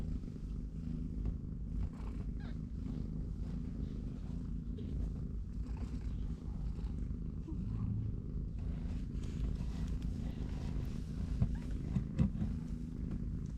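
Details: Continuous deep purring, low and even throughout, beside three-week-old kittens playing and napping in their cardboard box while the mother cat watches. Light rustling and soft clicks sit above the rumble.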